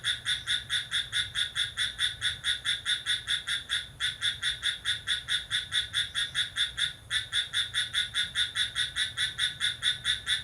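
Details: ['Cricket chirping vigorously at midnight on July 6: high, shrill pulsed chirps repeated steadily a little over twice per second, with brief breaks near four and seven seconds, over a quiet night background.']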